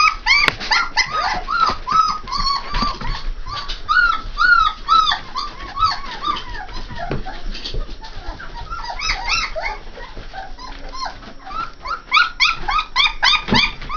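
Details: Litter of three-and-a-half-week-old Saint Bernard puppies whining nonstop: many overlapping high, arched squeals and yelps, rising then falling, crowd together throughout, with a few short gaps and some soft background shuffling.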